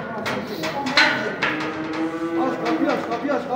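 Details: Cattle from a lot of 65 calves going from Kars to Mardin, Turkey. Overlapping low, droning moos run almost continuously, with knocks and clatter from the pen and a little background music.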